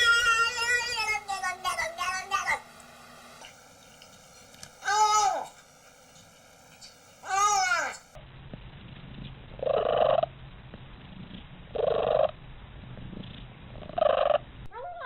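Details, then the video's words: Domestic cat gives a run of strained, wavering meow-like calls, some rising and falling in arches, then three short, nasal, evenly spaced cries about two seconds apart. "Weird Sounds Cats Make"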